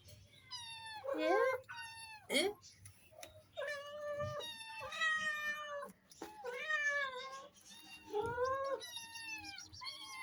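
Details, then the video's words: A family of cats meowing indoors: several clear, harmonic meows of varied length, some rising then falling, others flat and drawn out, overlapping at times, with short quiet gaps and faint low room hum. "The sweet sound of the cat family"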